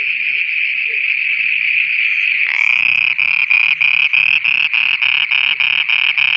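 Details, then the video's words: Frogs calling at night in Pakistan: a smooth high ringing drone at first, then loud, regular, buzzy pulses begin, about three per second, and continue to the end. "Frogs singing at night"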